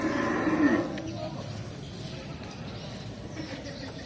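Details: Female breeding cow giving one short, deep, tonal moo lasting under a second at the start, then steady low background noise with no further calls.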